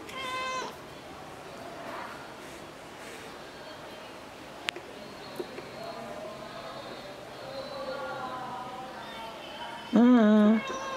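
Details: Sol, a ginger pet cat recently recovered from a serious virus, filmed indoors on the afternoon of 6 September 2022, gives a short harmonic meow at the start, softer mewing mid-way, then a loud, wavering, drawn-out meow near the end.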